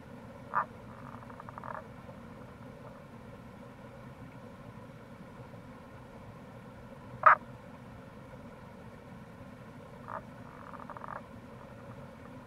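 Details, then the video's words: Wild Tago's brown frog at a gorge by the Kamo River in Itoshima, Fukuoka, in April; short gruff croaks spaced irregularly, one loudest in the middle, some doubled or drawn out, against a constant stream rush. "Wild Frog Call | タゴガエル"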